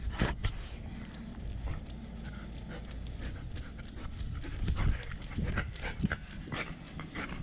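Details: Nala, a German Shepherd service dog left home alone, pants with a GoPro camera strapped to her body: quick, breathy, noisy puffs close to the mic, mixed with rustling, thumps and a brief voice.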